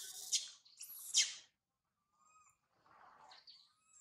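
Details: Two loud, harsh screams in quick succession from young monkey Sario, crying up a tall tree after her mother Sarah went away; faint, thin, whistled whimpers follow after a pause.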